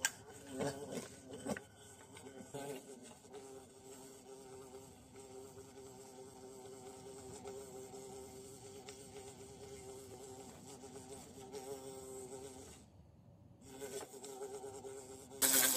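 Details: Bee in the bush, being hunted and watched, droning with a steady buzz of low humming bands and rich overtones, swelling and fading, with a brief quiet gap near the end and some handling noise.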